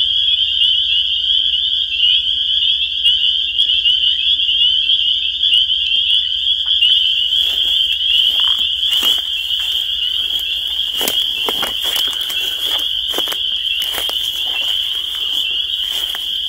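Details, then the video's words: Spring peepers call in a dense shrill chorus of high peeps that rings without pause; in the second half scattered clicks and rustling noises cut through the sound. "The Sound of Spring Peepers"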